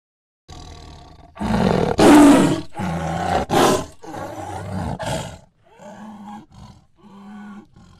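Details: Tiger roaring in loud, harsh bursts with dense harmonics, several strong roars over five seconds, then shorter, softer growling calls with steady low tones.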